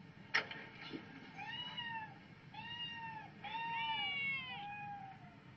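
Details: House cat stirred up by hearing cat videos; after a couple of sharp taps, three drawn-out, nasal meows follow one another, each bending upward then sliding down, the last longest and most insistent.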